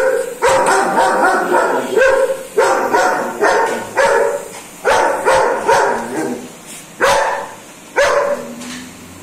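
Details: German Shepherd dog barking while afraid of a remote control car; loud, harmonic barks repeated about every second, eight in a row, each with a sharp onset and a falling tail.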